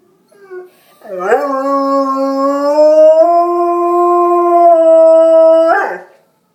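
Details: Bernese Mountain Dog howling at the fire alarm: one long, steady, clean howl holding a low pitch for about four and a half seconds, rising slightly midway, then breaking off with a short rough edge.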